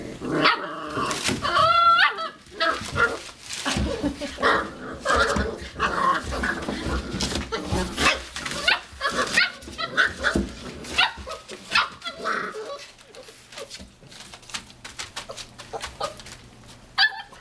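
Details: Five-week-old Boxer puppies at play indoors, letting out high whiny yips, a rising squeal near the start, then bursts of short barks and yaps that thin out toward the end, with scuffling throughout.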